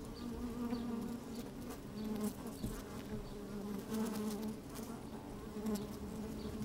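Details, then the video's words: Inside an open beehive on a sunny day, honey bees at work: a dense, even hum with clear stacked tones, individual buzzes swelling and fading, light tapping throughout. "Open Beehive - One Hour Video and Audio"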